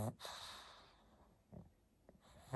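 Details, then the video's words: Pug at bedtime, waking after a long nap: short nasal snorts and breaths come in a few separate bursts, louder at the start and end, with quiet breathing between. "PUG NOISES 2022 😴 Snoring edition | Pug bedtime"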